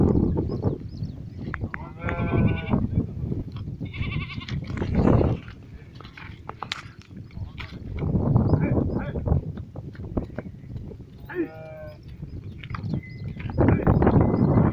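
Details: Goats in India during a fight, with several harmonic bleats around two, four and eleven seconds over heavy low rumbling, scuffling and background noise.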